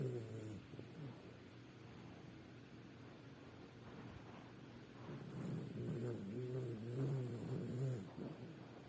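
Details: Sleeping dog snoring: soft, low rumbling breaths at first, then louder, throaty pulsed snores from about five to eight seconds, each rasping breath rising and falling in a steady rhythm, with a faint high hiss in the background.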